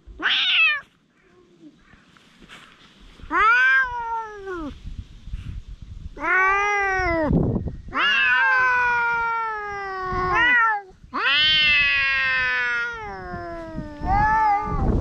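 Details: Stray community cats, one possibly named Dufy, quarrelling after another cat arrives, filmed outdoors in Japan on a GoPro HERO8: a series of loud, drawn-out meows that rise then fall in pitch, repeated every two to three seconds, with faint rustling between.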